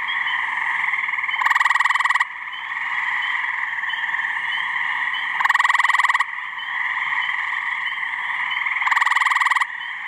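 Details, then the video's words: Male gray treefrogs (Hyla versicolor) call in a deafening mating chorus in a New Hampshire pond/swamp on a warm mid-May spring evening: loud, rattling trills, each under a second, over the steady chorus. "Awesome Gray Tree Frog mating call video"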